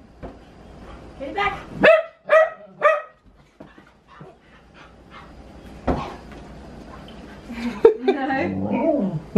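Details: Female husky squaring off against a balloon lets out three sharp, ringing barks in quick succession amid a woman's chatter, followed by a muffled thump and more talking over scrappy, grumbling vocal noises.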